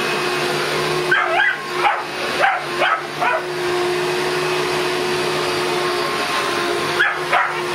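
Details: Boston Terrier facing a vacuum cleaner: a rapid burst of six or seven excited barks and yips in the first half, then a pair near the end, against the vacuum's continuous loud motor noise.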